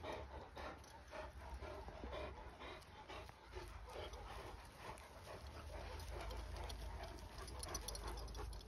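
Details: On a play and training trip, Akbash dogs pant quickly and steadily, about two breaths a second, with faint whines mixed in and a constant low rumble of wind behind.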